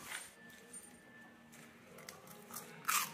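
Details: Quiet indoor room tone broken by faint crunching and a sharp crackling burst near the end, with no vocal animal sound.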